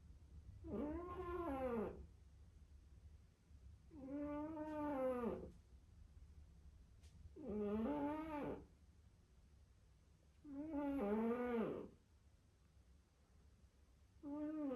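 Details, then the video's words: A sleeping domestic cat snoring: voiced, harmonic snores about one and a half seconds long, each arching in pitch, repeating steadily roughly every three and a half seconds with quiet breathing gaps between. "Snoring cat"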